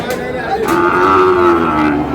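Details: Sahiwal cattle at a Brahmanbaria livestock market, Bangladesh: a sustained, steady, slightly falling moo filling most of the moment, with crowd murmur behind.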